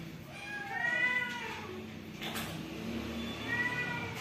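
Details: Newborn kittens in a family home meowing: a high, slightly falling harmonic meow near one second, a lower wavering cry after it, then another thin meow at the end, over faint background rustling.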